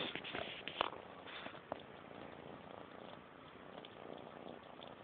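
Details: An eleven-week-old kitten eats pate food while purring: a continuous soft, rolling purr with sharp chewing clicks near the start, then mostly even purring.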